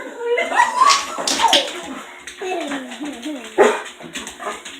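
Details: Female dog left alone indoors once the other two dogs have gone, voicing strained whines that slide up and down, some warbling into half-howls, with short sharp yelps; a household hum runs underneath.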